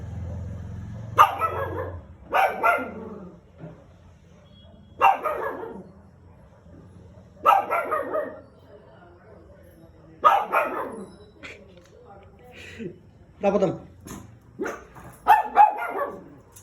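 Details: A female Shih Tzu howls in response to hearing other dogs bark, giving sharp, high barks in irregular bursts, some drawn out like short howls.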